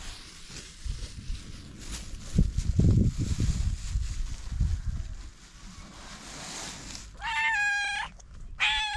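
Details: Stray cat outdoors; several seconds of rustling and handling noise, then two loud, harmonic meows close together at the end.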